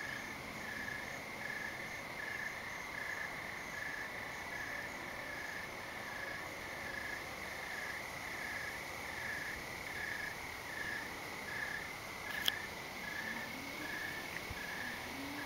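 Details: Crickets and perhaps other insects chirp at night after dark under thick clouds, a continuous pulsing trill with a faint background hiss.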